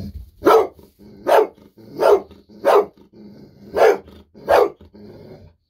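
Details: Golden Retriever at home barking excitedly for a treat, having rushed out of its room at a faint sound; six loud, sharp barks spaced roughly evenly, under a second apart, with low rumbling between them.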